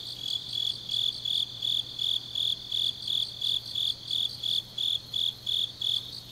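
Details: Autumn grass insects at night in Changnyeong, Korea, sing a high, evenly pulsed chirp, roughly two to three bursts a second and about fifteen in all, above a continuous thin insect hiss and faint low hum.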